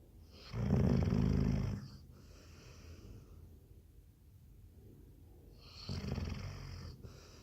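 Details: Sleeping Labrador Retriever gives a deep, rattling snore lasting about a second, then a long quiet pause before a second, softer snoring breath begins with a breathy hiss.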